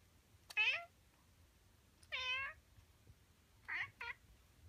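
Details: Male Siamese cat meowing in the morning: three clear, nasal meows, the first two drawn out and falling, then a short double meow, each about a second apart, in a quiet room.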